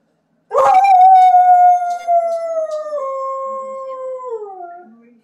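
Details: A male Siberian Husky gives one long, mournful howl that slides slowly downward, joining huskies howling on a live stream.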